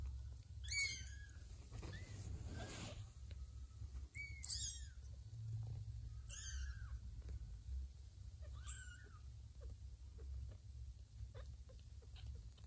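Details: One of two kittens roughly two weeks old with just-opened eyes, seeking milk from Ginger rather than their mother Lima: four or five short high mews spread over several seconds, partly masked by steady low rumbling noise indoors.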